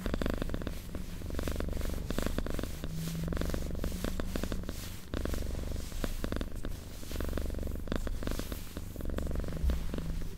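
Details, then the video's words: Quiet purring from a domestic cat: steady low vibrating rumble in slow breath-length swells, accompanied by scattered soft crackles and rustles. "Purring Cat ASMR"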